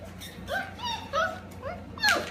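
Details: Five-and-a-half-week-old Goldendoodle puppies from Roos and Morty's litter playing together: a series of short, piercing whines and yelps, each arching up then falling, four or five in two seconds, ending in a sharper squeal.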